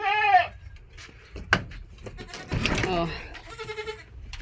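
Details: Farm goats bleating: a short wavering bleat opens, then a person talks over clicks and knocks, and a longer nasal bleat from another goat sounds near the end.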